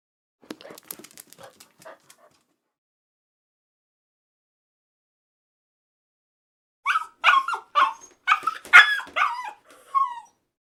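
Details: Puppy yipping in a rapid run of short, high, whiny barks, preceded by quiet scratching and clicking sounds.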